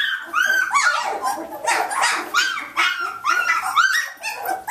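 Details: Playful Samoyed puppies, day 19 of Athena's litter, at Thanksgiving: a dense, continuous chorus of high yelps and whimpers, calls overlapping so tightly the sound barely breaks, with scuffling noise beneath.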